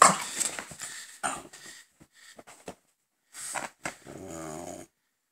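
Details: Gonzothunder and Turbopanda, a father and son French Bulldog pair; a few rough grunts and snorts, short pauses, then a brief droning, growly whine at the end.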